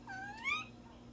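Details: Domestic cat giving a single short meow that rises and then slides down, a clear tonal cry lasting about half a second over a faint steady hum.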